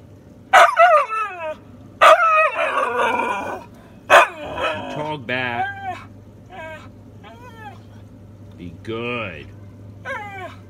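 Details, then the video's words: Female Siberian Husky named Sable talking back while scolded to be quiet: sharp yelping bursts every two seconds give way to wavering, rising and falling woo-woo syllables and a drawn-out whine, with a steady low hum and brief human speech. "Husky talking back"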